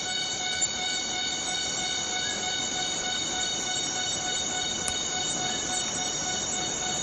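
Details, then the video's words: Cicada in the Borneo rainforest, producing a steady, unbroken metallic whine: one sustained tone with a ladder of even overtones, holding level for the whole stretch, with a faint click or two and no other clear sounds. "Borneo Rain Forest Cicada - Cicada sound - cicada noise"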